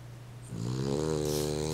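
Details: Snoring from Pickles the dog, a rough buzzing inhalation that starts halfway through and holds steady to the end over a constant low background hum.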